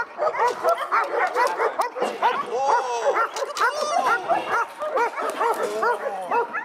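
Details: Fast, shrill dog barks crowd together without a break, with a faint whistle-like tone briefly heard behind them.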